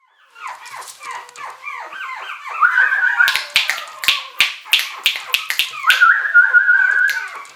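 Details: Short-haired mini Chihuahua puppies, 70 days old, males and females: rapid falling whimpers in a steady run, then a burst of sharp high yelps mid-clip, ending with a drawn-out level whine.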